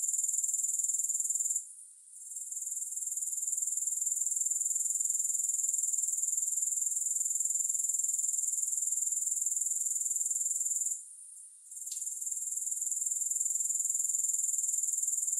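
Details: Grasshopper chorus with no music: a sustained high shrill pulsing trill that drops away briefly twice, near the second and the eleventh seconds, then resumes at the same pitch and pace.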